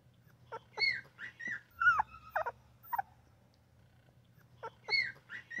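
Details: Very young newborn puppy gives small high chirp-like squeaks in two short bursts separated by a quiet gap, with a faint steady hum beneath.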